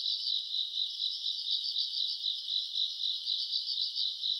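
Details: Grass insects chirring on a summer night, recorded around August: a high, steady trilling mass whose volume swells and fades about four times a second, and nothing else is clearly audible.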